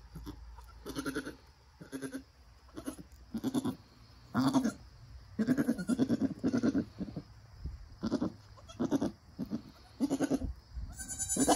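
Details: Nigerian Dwarf goat doe and newborn doeling, the mother encouraging her kid after birth; repeated stuttering low bleats, grouped in bursts of several pulses, growing louder toward the end, over a quiet hum.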